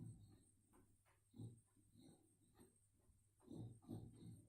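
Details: Sleeping boxer bitch snoring loudly while dreaming, recorded indoors on a mobile phone: deep, throaty rasping snores swell and fade irregularly, the loudest near the end, over a faint constant hum.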